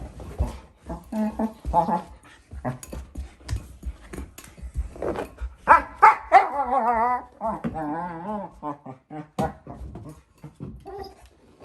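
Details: Four-month-old female German Shepherd puppy at play with her bowl inside, making funny noises: scattered clicks and knocks, then a run of wavering, yodel-like whines and short bark-like yelps.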